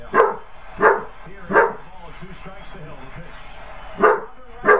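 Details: Basset Hound puppy yapping at a birthday card: three quick sharp barks, a silent gap of about two seconds, then two more. Faint low hum fills the background.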